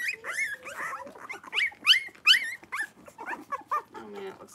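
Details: Five blenheim Cavalier King Charles Spaniel puppies, born at New Year, in an indoor puppy pen with their mother in late January; high, squeaky whines and yelps, rising and falling quickly and overlapping in dense bursts.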